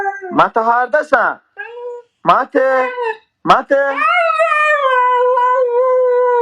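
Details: Husky vocalising in a small room: a few choppy, rising yelps and whines, then a sustained, level howl held for more than two seconds to the end.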